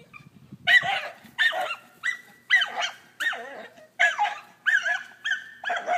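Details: Scottish terrier, frightened by a pool toy, barking in a steady series: about nine sharp, ringing, harmonic barks spaced roughly 0.6 seconds apart, each rising then dropping slightly in pitch, with a faint low rumble in the background.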